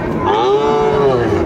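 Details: Sahiwal bull calf, six to seven months old, at a cattle market in Chuadanga, Bangladesh, 16 January 2025; one steady, tonal moo holds level and then dips slightly at the end, over a murmur of market voices.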